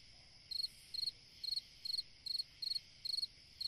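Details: Summer-night song of a cricket, a string of high, pulsed chirps coming roughly every half second, each chirp a tight cluster of rapid clicks, with a faint constant insect hum behind.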